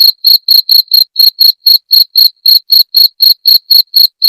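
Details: A cricket's shrill chirping, played to repel rats, sounds as evenly spaced, piercing pulses about four each second, uniform in loudness and pitch throughout. The background is silent.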